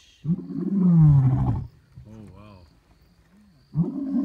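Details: Lion in Kruger: a loud, deep, falling roar lasting over a second, followed by quieter wavering moaning tones, then another low roar beginning at the end.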